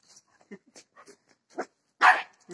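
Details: A fearless Shih Tzu bossing a bigger dog gives a short series of small yips and muffled grunting barks, building to one loud, harsh bark near the end, then a quieter yap.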